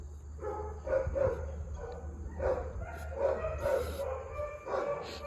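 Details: Large black Great Dane, 10/08/2022: repeated harmonic barks, some slightly howl-like, arriving in uneven bursts about every second, with a steady low rumble underneath.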